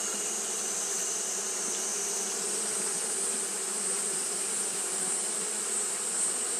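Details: Japanese honey bees keep fanning on a hot day, producing a continuous humming buzz with fine, rapid flutter. A level high-pitched hiss runs throughout.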